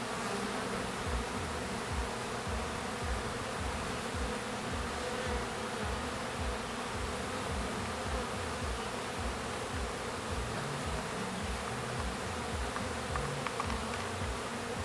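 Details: Honey bees graduating to foragers and circling the hive on orientation flights; a thick, unbroken buzzing drone with a faintly pulsing low undertone throughout.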